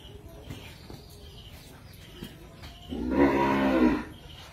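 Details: Cattle in Cambodia, one loud harmonic-rich moo lasting about a second near the end, preceded by quiet background with faint clicks and murmurs.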